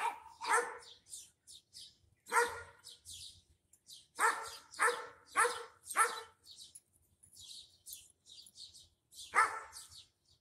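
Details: Dogs barking back and forth, with a German Shepherd in a far yard: loud, harsh single barks in irregular bursts, about seven strong ones, with fainter, higher, scratchy sounds filling the gaps.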